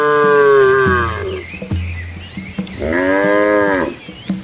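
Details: Cows and calves walk together on a village country road through rice fields in Asia. A loud moo slides downward and ends in a low groan, then a shorter, steadier moo follows near the end.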